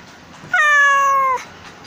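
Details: One sustained, slightly falling meow lasting almost a second, loud and clear with many harmonics, from a stray kitten looking out of a drain hole on an island, apparently trapped and asking for help.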